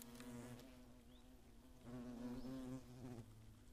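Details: Hornets on the attack in the Eifel in 2017, a year with at least ten nests: a close, deep droning buzz rising and falling in pitch, louder in a surge around the middle.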